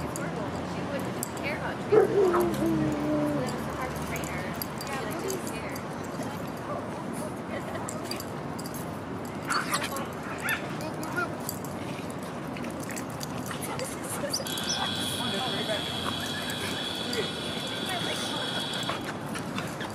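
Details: Rudy the Boston Terrier playing at a dog park in September 2015, autumn: one loud bark trailing into a brief whine early on, then mostly talk and park noise, with a steady tonal hum later.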